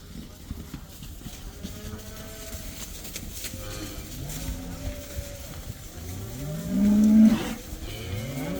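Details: Herd of about 80 cows, allowed outdoors for the first time, lowing in the background: several quiet, drawn-out moos overlap before one louder, rising moo near the end, with a busy barn-like murmur throughout.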